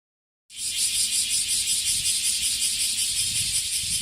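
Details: Bear cicada, a male, singing from a tree in a park in the Kansai region of Japan where many cicadas perch; a loud, harsh buzzing starts abruptly after half a second and pulses steadily about two to three times per second.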